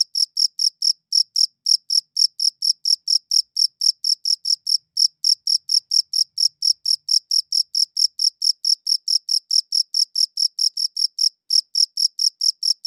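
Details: A cricket chirps on a good audio recorder, bright high pulses in a fast regular series broken by a few short gaps, with no background noise.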